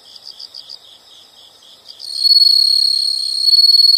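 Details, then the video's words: Insect sounds: a few seconds of quick, rhythmic high-pitched chirps, then an abrupt switch to a loud continuous shrill buzzing trill that holds to the end, swelling slightly in volume. "the sound of insects"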